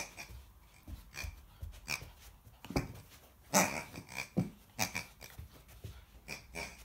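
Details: American Akita puppy growling while confronting a pig: rough, noisy bursts of growling and snorting breaths that come in uneven runs, with a few louder harsh peaks partway through.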